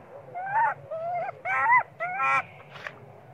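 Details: Baby monkey Sweet Pea, hungry and crying for milk while his mother ignores him, gives four loud, harmonic wailing cries, each about half a second and bending up then down, followed by a harsher squeal.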